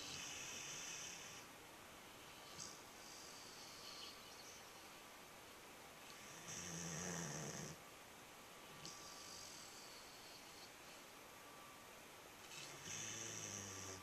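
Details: Sleeping nine-month-old dog snoring loudly: hoarse, hissing inhalations with a low rattling undertone, repeating about every five to six seconds, each lasting over a second, in a quiet room with faint constant hum.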